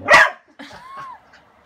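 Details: Kasa, a pet dog afraid of a broom and wanting his toy from under it, gives one loud harsh bark followed by a short rising-then-falling whine.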